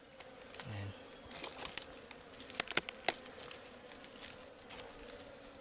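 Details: Wild ligwan honeybees at their forest hive during a honey harvest, described as fierce, give a steady low droning hum under repeated sharp clicks, knocks and rustling from the harvesting work.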